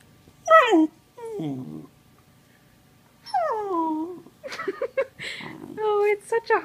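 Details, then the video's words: Sheprador puppy, an Australian Shepherd-Blue Heeler and Lab mix, vocalising while playing indoors: a quick run of whining, yowling calls with falling and curving pitch, short bursts separated by brief pauses, then choppier yips and moans toward the end. "Lab puppy making hilarious noises"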